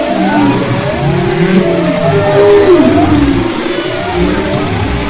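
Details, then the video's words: Humpback whale vocalizations recorded off west Maui, February 2011: overlapping low groans and gliding tonal sweeps, one prominent descending moan midway, blended with background underwater rumble. "Humpback Whales and Their Songs"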